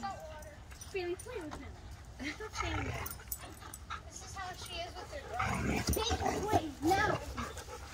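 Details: Alaskan Malamute with other dogs, whining and yodel-like rising and falling vocalizations interleaved with people talking, calling out encouragement during a playful standoff.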